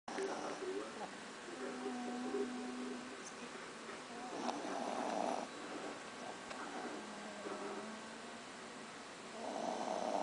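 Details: Belinha, a dog asleep on a lap and filmed from under a table, snores softly with low, drawn-out breaths and faint hums, quiet throughout with a slightly louder stretch near the end.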